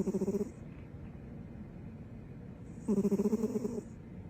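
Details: Female dog sleeping with her tongue hanging out gives pulsing, rattly snores, each just under a second long, separated by about two seconds of soft breathing.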